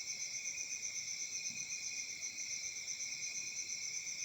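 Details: Night-time summer chorus of crickets recorded in Africa: a high, ringing trill with a regular pulse near four beats per second, quiet background otherwise.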